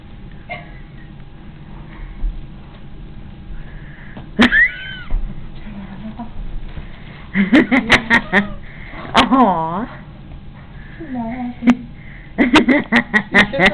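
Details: A stuck female domestic cat, unhappy and getting mad, gives two arching, wavering meows a few seconds apart, the second longer and stronger, amid people talking and laughing nearby.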